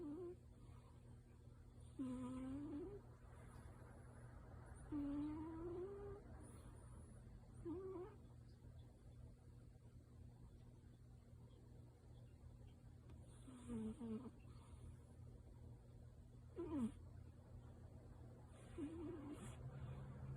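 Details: Sleeping tabby cat named Yuki, deeply asleep and possibly dreaming, lets out a series of brief whiny, upward-sliding murmurs spaced several seconds apart, about six across the stretch, over a steady low indoor hum.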